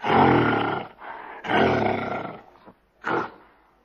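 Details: Gorilla roaring: two drawn-out harsh, throaty roars about a second each, then one brief bark before silence.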